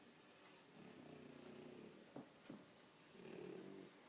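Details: Tired French Bulldogs sleeping and snoring: a soft, grating low snore, then two sharp snuffling clicks, then another rough rumbling snore swelling toward the end.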